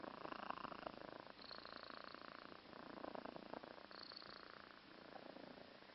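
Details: A sleeping cat snores indoors with a steady, rough, breathy purr-like rumble running throughout, occasional brief higher hiss-like breaths, no other clear sounds.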